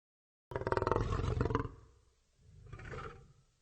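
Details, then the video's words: Lion giving one loud, rough roar that begins abruptly and holds for about a second before fading, followed by a softer, lower second rumble. "صوت الأسد - زئير الأسد - Lion Roar"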